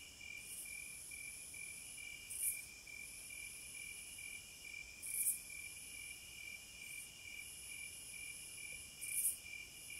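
Cicadas keep up a steady, high, shrill drone with brief louder buzzing swells every couple of seconds.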